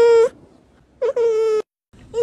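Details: Kittens meowing: three steady, drawn-out tonal meows, each holding an even pitch. The middle call is the longest, and the short gaps between them are quiet, with no other clear sounds.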